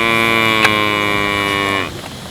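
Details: Village cow giving a long, steady, droning moo, rich in evenly stacked harmonics and held level for almost two seconds before sliding downward and dropping away into quiet outdoor background.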